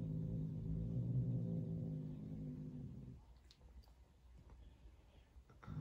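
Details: Angry female Turkish Van cat growling at her roommate indoors: a low, rumbling, steady growl for about three seconds, then near silence with a few faint clicks and rustles.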